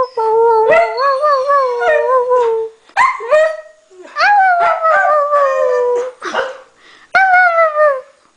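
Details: Norwegian Elkhound Maddie howling along with a Husky indoors: long wavering howls that slide gently downward, several drawn-out phrases separated by short pauses, with overlapping voices at times.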